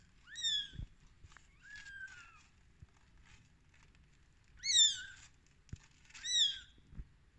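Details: Rescued baby kittens, day 13, produce loud high mews that bend downward, one long drawn cry among them, with small taps and rustles between calls.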